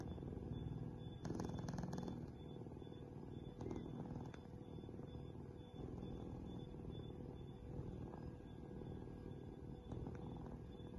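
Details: A rescued cheetah cub, taken from the illegal wildlife/pet trade, at a cheetah safe house in Somaliland, purrs in a continuous low, throaty rumble, with brief clicks and rustles near the start and a few seconds later.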